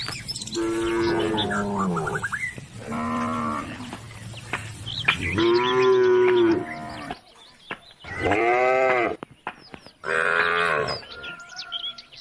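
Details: Cows roaming country roads call the herd home to the barn with five bellowing moos in quick succession, each one to two seconds long and strongly harmonic, a few birds chirping in the gaps.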